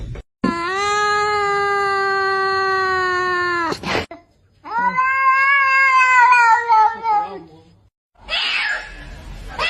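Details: Domestic cat giving long, drawn-out meows, first a steady wailing cry of over three seconds, then a second wavering, rising-and-falling meow, with a brief rustle at the end.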